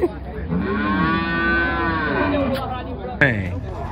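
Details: Loose brave ox at a cattle fair gives one long, steady, harmonic moo lasting about two seconds, with a sharp knock and brief noise near the end.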